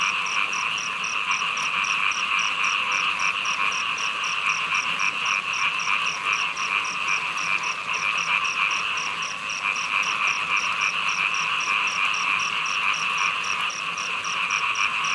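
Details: Frog chorus during a downpour: layered droning calls held at an even loudness throughout, with a regular high-pitched tick sounding about three to four times a second.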